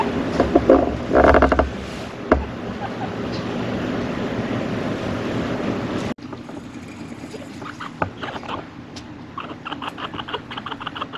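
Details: Loki, a grey cinnamon male pet chinchilla born September 2015, gives a rapid run of short, squeaky barks in the final seconds, evenly repeated, after a stretch of rustling handling noise and brief thumps.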